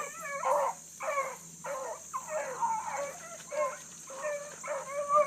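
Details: Blueticks in full cry on a big running rabbit early in the morning, a young pup gaining time on the ground; separate bawling bays, some bending downward, about one per second, over a steady background hiss.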